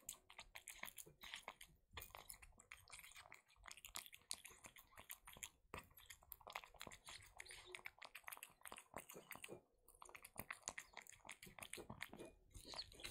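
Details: A young cat chewing wet food: dense, sticky smacking and clicking chews with brief pauses, some louder bites standing out, in a quiet indoor setting.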